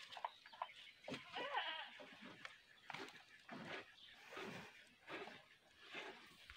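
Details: Goats being sold bleat in a run of wavering, nasal cries, several overlapping calls following one another about once a second over a quiet background hiss.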